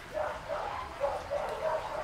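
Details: Shih Tzu puppies, raised on a raw diet, being dewormed by hand: short, thin whimpering yips repeated every few tenths of a second, fairly steady in pitch, over a faint room hiss.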